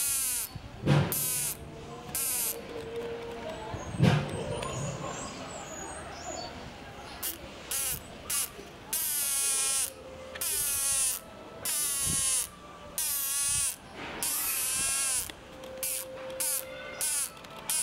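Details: A chimpanzee at Tobu Zoo whistles in a series of short, wavering tones, with a steady high insect hiss behind.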